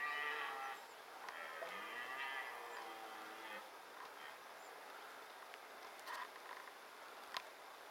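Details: A red deer roars during the 2018 rut in Małopolska while marking territory. One long, drawn-out, harmonic bellow falls in pitch and fades over about four seconds. It is followed by quieter ambient noise and a sharp click near the end.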